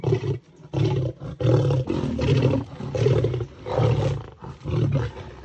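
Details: Lion trying to climb a tree in South Africa to steal the impala a lioness is eating there; continuous deep snarling growls in rhythmic heaving surges, about eighty per minute, loud and raspy.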